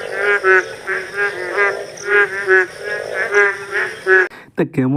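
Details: Rainy-season frog chorus from rural countryside. Bouts of nasal, buzzy croaks arrive in quick clusters about once a second, steady and overlapping. A brief human voice cuts in at the very end.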